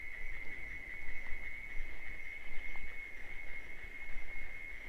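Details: Wild cicadas in the Bahia sertão of Brazil give their mating song, a sustained, even, shrill hum without pauses, set against a low background rumble.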